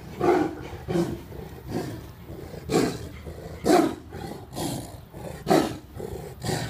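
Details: A tiliger fighting a Bengal tiger at GW Exotic Wildlife Park, Oklahoma, gives deep, rasping roars and growls in bursts about every second or two; its identity as a tiliger is uncertain.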